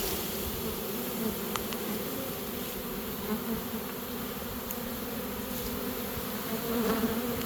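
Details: A western honey bee swarm being caught, marching into a new home it has accepted, gives a steady, low, droning buzz that hardly changes throughout.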